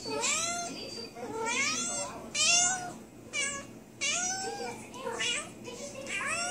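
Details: Indoor cat recently spayed and suffering a suture infection, complaining with repeated meows, a second cat nearby. The meows rise in pitch and come about once a second, some strained and breathy, with a muffled room background.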